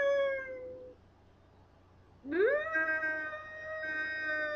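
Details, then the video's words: Duff, a Scottish terrier, teased by his owner into singing: a steady tonal howl fades out, then after a quiet gap a new howl slides upward and holds a long, even note with rich harmonics. "Duff Sings the Blues"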